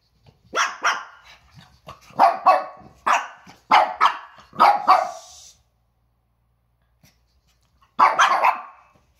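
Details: Pekingese pair Peko (one year) and Poko (under a year) bark loudly at a squeaky toy, October 2018. Two barks, then a run of five rapid yaps, a pause of silence, and one final double bark.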